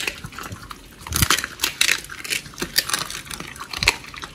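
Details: Pit bulls Oli and Nommy eating raw food, a giant white snapper combo, on a raw-feeding diet, recorded October 21, 2023, indoors; wet, crunchy bites and squelching chews come in irregular bursts, some louder cracks standing out.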